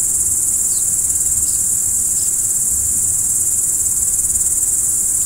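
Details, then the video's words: Night-time crickets keep up a continuous shrill, even trill, dense and unvarying throughout, while a handful of brief falling chirps and a gentle low background hum sit around it. "Stars at Night BLACK B/G - Video & Audio Crickets"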